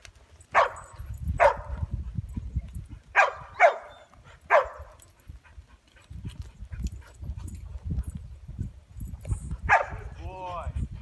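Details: While herding sheep, Ronin the Chow Chow mix fires off five loud, short barks in two quick pairs and a single, then a last bark near the end, over steady low wind-like rumble.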